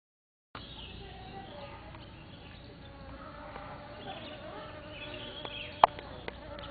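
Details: Bees at Mimosa pudica flowers give a steady, droning buzz with gently wavering pitch that runs through the whole clip over soft background hiss, broken by a few sharp clicks toward the end.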